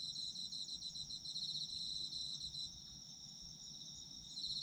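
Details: Autumn insect chorus, steady shrill ringing with rapidly pulsed chirps that drop out partway through, then resume softly near the end; quiet low murmur underneath.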